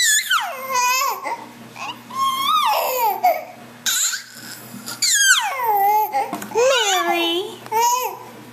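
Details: Domestic dog producing dolphin-like noises on 1 February 2011 in the afternoon: loud, wavering squeals and yelps that slide sharply downward, coming in quick close bursts.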